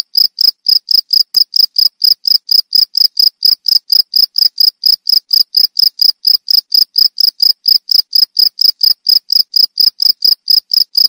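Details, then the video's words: Steady series of sharp, high-pitched cricket chirps, about four a second, evenly spaced and unchanging in loudness throughout, in a clean recording with no background sounds. "Suara Jangkrik Merdu"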